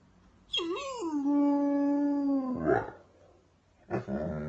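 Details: Weimaraner dog crying: one long wail that rises, dips, then holds a steady tone for over a second before breaking off, followed by a short rough cry.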